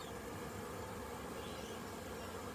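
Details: Many honey bees flying around a very busy hive on orientation flights after rain, 22 September 2022; a steady dense low hum of wingbeats throughout with no breaks.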